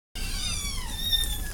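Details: Cat giving one long, high meow that slides gradually downward and fades, rich in overtones, with a low background rumble; a woman speaks softly just afterwards.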